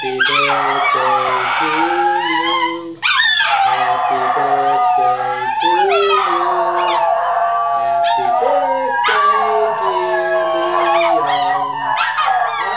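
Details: Three Basenjis howl in long, wavering, yodel-like tones alongside people singing Happy Birthday.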